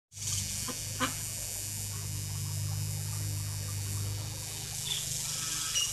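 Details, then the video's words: Cicada filmed at close range while singing: a loud, even, hissing buzz high in pitch starts abruptly and holds for about four seconds before fading, over a faint low hum in the background. "A Cicada's Song"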